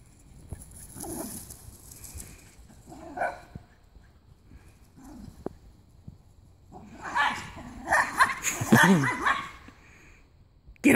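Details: Two Jack Russell Terriers fighting and going wild in a backyard: bursts of sharp barking and snarling, with louder, denser scuffling barks near the end, while a man repeatedly urges them on.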